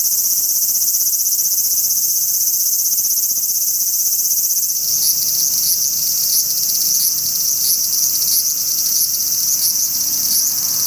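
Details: Large brown cicada singing on a cherry tree in a park: a dense, continuous sizzling drone, shifting partway through into a pulsing buzz that swells roughly twice a second.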